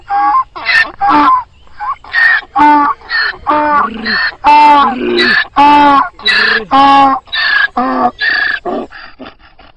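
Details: Donkey. A donkey gives a drawn-out bray, a rapid series of loud, rasping hee-haw notes. Higher squealing notes alternate with deeper groaning ones, about one each second, until the bray tails off.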